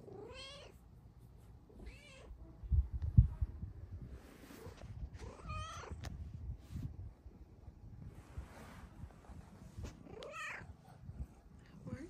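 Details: A Bengal cat seeking morning pets and attention gives loud, drawn-out meows every few seconds, drawing a second cat over for cuddles.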